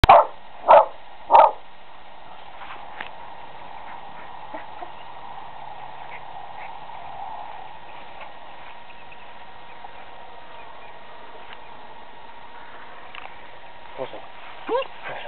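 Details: Selma, a dog, barks manically at a squirrel trapped on a neighbour's house: three sharp, punchy barks about half a second apart, a long stretch of faint background hum, then a couple of softer, clipped barks.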